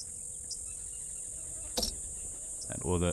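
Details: Cicadas taking over the soundscape as the day grows very hot: a steady, shrill high-pitched drone throughout, broken by a sharp click midway and a man's voice starting near the end.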